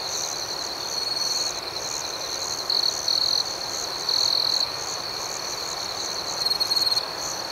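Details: Night-time crickets in a continuous shrill trill, with louder bursts swelling at intervals over a pulsing higher chirp layer and a steady soft background hiss.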